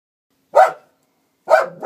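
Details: Norwegian Elkhound barking: two short, sharp barks about a second apart, the second cut off at the end, with silence between them.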